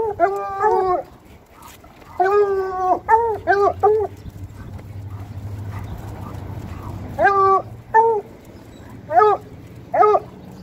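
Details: Walking through town, Bluetick Coonhounds let out bursts of harmonic baying: a long howl, a cluster of short rising yelps, a pause with low rumbling traffic-like hum, then more spaced yelping cries.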